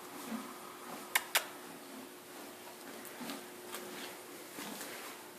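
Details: A quiet indoor room gives off a steady hiss, broken by two sharp clicks near the start and a few faint knocks, with no animal sound.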